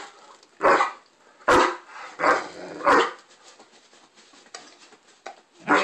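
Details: Great Dane having a tantrum, unhappy with the bone he already had: loud, irregular barks roughly every second, with moaning grumbles between them, in a small room.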